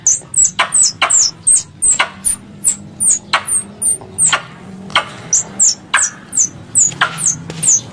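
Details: Squirrel calls used as a hunting lure: high, thin chirps that slide downward, repeated about three times a second with sharp clicks between them over a low hum.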